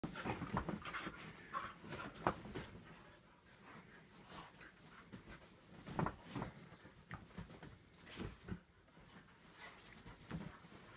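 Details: A Staffordshire Bull Terrier cross and a whippet in a play fight indoors: bursts of rough panting and scuffling breaths come in irregular flurries, with soft thumps of bodies moving.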